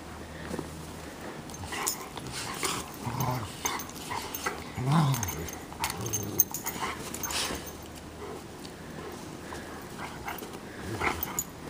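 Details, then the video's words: Two Bernese Mountain Dogs, Minnie and Bear, playing in the snow: low, rumbling growls rise and fall in short bursts, with scuffling and brief whimper-like sounds between them. "Bernese Mountain Dogs at Play"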